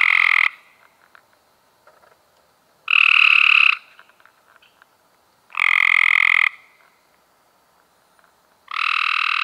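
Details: Cope's gray treefrog heard in May 2016: loud, raspy pulsed trills of about a second each, four in sequence and spaced nearly three seconds apart, with little else audible.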